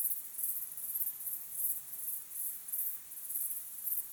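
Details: Crickets chirping at sunset in the evening: a quiet, very high, shrill chirping that comes in short pulsing bursts about twice a second, with no other animals, voices or music.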